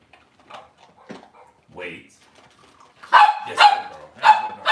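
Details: Cavalier King Charles Spaniel indoors on a kitchen camera on a cloudy Monday morning, where mother dogs and puppies are kept; four sharp, high yapping barks in quick succession follow soft human speech and faint whines.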